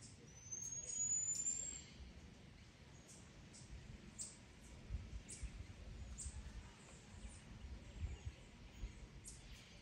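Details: Marmoset calling, said to be alerting its monkey companions to a cat nearby: one long, thin, very high whistle that rises slightly over about a second, then scattered short, sharp high chirps over a steady low background rumble.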